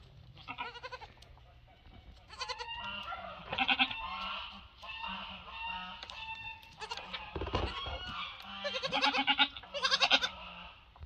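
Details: Two-week-old female Mini Nubian goat kid meeting and playing with a Nigerian Dwarf goat herd on a farm; repeated bursts of nasal, wavering bleats from several animals across the clip, with thumps and rustling between calls.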